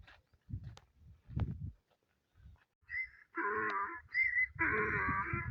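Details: A donkey at a mound brays after a few low thumps, alternating a high, wheezy hee with a deeper, rasping haw.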